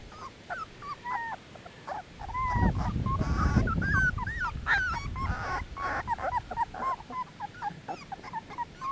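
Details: Young Dogo Canario puppies at 18 days old: rapid overlapping high whimpers and yips from several pups, with a low rumbling thump or handling noise midway.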